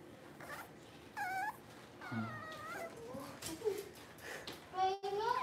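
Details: Puppies indoors during a power outage whimper and whine in high, wavering cries, several rising then falling, coming in short bursts across the stretch, with a faint human voice and small knocks in the background.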